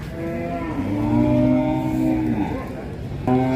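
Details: Giant black cattle in Indonesia, said to have been bought by a presidential guard: a long, steady, low moo held for about a second and a half, then a short second call starting, with background music throughout.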